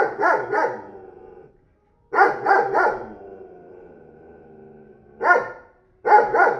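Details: Newly acquired 40 kg dog at a neighbour's home gives loud, rough double and triple barks in clusters, separated by pauses of a second or two.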